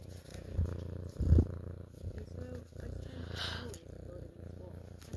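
A domestic cat purrs in a steady low rumble, with a person's yawn heard over it.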